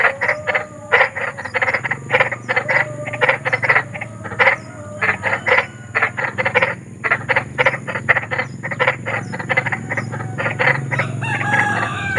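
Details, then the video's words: Large frogs croaking in nature after dark, offered as night-time sleep therapy; busy chorus of short rattling croak bursts, irregular and overlapping, over a low rumble and constant high-pitched hiss. "SUARA KODOK || KODOK BESAR || SUARA KODOK SERAM"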